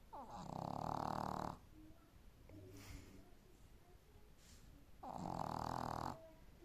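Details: A sleeping Boston Terrier snores loudly, each long rasping breath rumbling for over a second.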